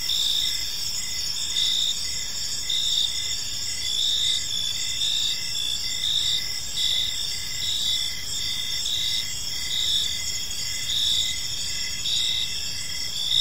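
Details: Crickets chirping in a peaceful park as evening unfolds, a steady high-pitched chorus of bright pulsing trills layered over a softer dashed lower chirp repeating roughly once a second, with faint low background rumble.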